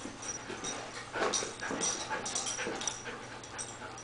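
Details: Little female dog trying to get the cat to play, producing rapid breathy puffs and short snuffles, several per second, the strongest burst near the middle, with a faint high hum behind.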